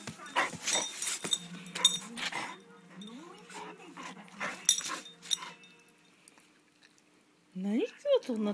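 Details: Basset Hound excited by a vibrating cushion indoors: clatter and scuffling noises, then a long run of wavering, sing-song whines rising and dipping, ending in a short yelping cry beside a woman's voice.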